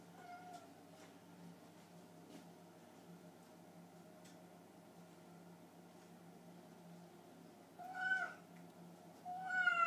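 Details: Hungry domestic cats, indoors and upset at being left alone late while their owner worked, break a long quiet hum with two bright, rising-falling meows near the end, the second louder and more drawn out.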